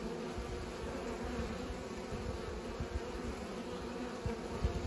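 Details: Pollinating bees give off a continuous buzzing hum, level and unbroken, with soft low-pitched background rumble.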